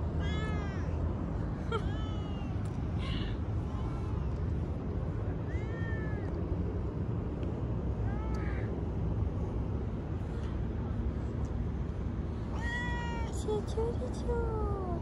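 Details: Stray street cats being petted, meowing repeatedly: short rising-falling mews scattered through the clip, partly buried under a steady low rumble of traffic, with a woman's voice nearby.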